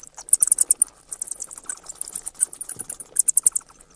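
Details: Bats giving rapid, very high-pitched squeaky chirps in short stuttering bursts, with brief pauses between volleys and faint clicking underneath.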